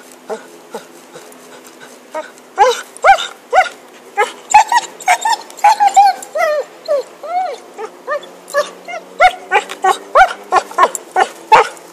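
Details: A dog named Happy, busy with a stick, keeps up excited, pitched yips and whining cries, quieter at first, then a dense, irregular burst of overlapping yelps.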